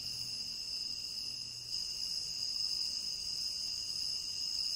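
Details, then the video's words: Chirping crickets in a tropical rain forest, a constant piercing high chorus in stacked bands that grows slightly louder partway through, with a faint low hum early on. "Endless Cricket Chirping"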